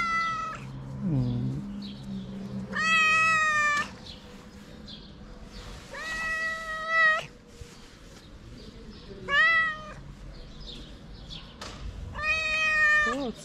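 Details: Stray cat in Morocco meowing loudly for food: four drawn-out, harmonic-rich meows about every three seconds, each steady then falling slightly, with a lower whining slide near the start and faint street background.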